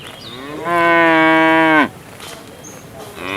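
A cow gives one long, steady moo that ends with a sudden downward drop.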